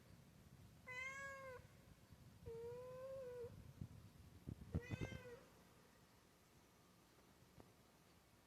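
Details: Female cat indoors meowing in reaction to a noise from the ceiling: three clear drawn-out meows, the middle one longest and level, the last rising then falling, followed by soft thumps and clicks in a quiet room.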